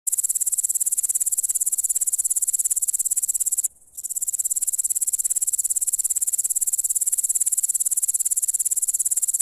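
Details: A grasshopper in the wild gives a high, hissing buzz of rapid pulses, broken once by a brief pause.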